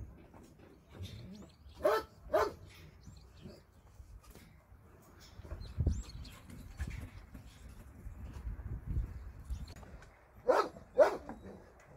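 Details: Shelter dogs heard during a Sunday volunteer visit: scattered loud barks in pairs near the start and end, with muffled human voices and handling noises between.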